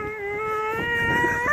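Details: A dog named Dakota throws a tantrum on leaving the dog park, giving one long, drawn-out whining howl. The pitch holds steady with rich overtones, then climbs sharply at the very end.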